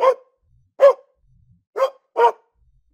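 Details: Domestic dog barking, four short sharp barks at uneven intervals over three seconds, with silence between them.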